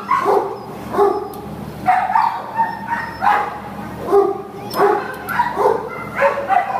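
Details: Female American Pit Bull Terrier up for shelter adoption, listed 29 May 2015, barking in a quick, uneven series of short harmonic barks mixed with brief whiny tones, about nine barks over seven seconds.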